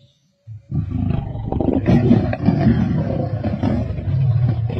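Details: Male lions feasting with a pride at a kill in Sabi Sands on 31 March 2024; after a brief quiet moment, a continuous loud, low, rasping growl and snarling rumble runs to the end.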